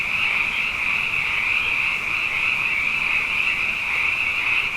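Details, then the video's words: A night chorus of abundant frogs after two wet years, the massed calls forming a continuous high, shimmering trill with a weaker lower layer, even and unbroken throughout. "Frog Songs: Na Mele o nā Paloka"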